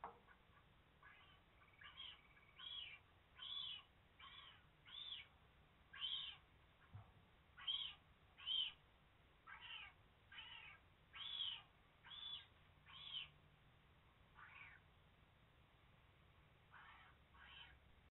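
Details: Wild bobcat mother Belle with her three-week-old kitten Bobbie in a den box inside a cage at TreeHouse Wildlife Center, Dow, Illinois; short breathy calls repeat about once a second in a steady series.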